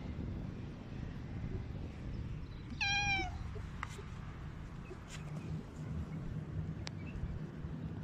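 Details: A cat out at night in a park gives a single clear meow near the three-second mark, a short tonal call with a slight downward bend, over a steady low rumble of outdoor background noise and a few faint clicks.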